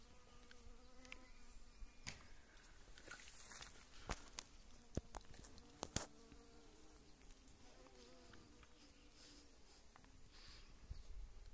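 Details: Honey bees gathering pollen from wild mustard (yellow mustard) in early spring; intermittent low buzzing that fades in and out as bees move between flowers, broken by scattered clicks and rustles.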